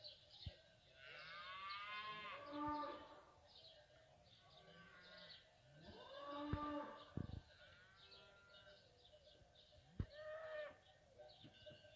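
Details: Fighting bulls (ganado bravo) eating: three drawn-out, harmonic-rich moos about four seconds apart, each swelling then fading, with sharp clicks and knocks between them over a steady low background hum.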